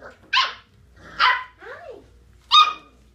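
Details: Puppies barking indoors: three sharp, high-pitched yapping barks spaced about a second apart, with a softer whining yelp between the second and third.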